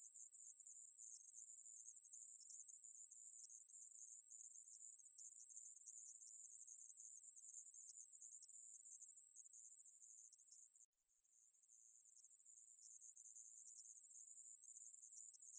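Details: Sustained high-pitched buzz of a conehead katydid (애매부리), recorded in 2020 by the National Institute of Biological Resources; the steady drone briefly cuts out near the eleventh second, then fades back in and continues.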